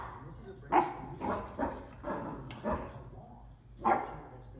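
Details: Dachshund puppy barking at a bowl: two sharp, loud barks about three seconds apart, with softer yips and human voices murmuring between them.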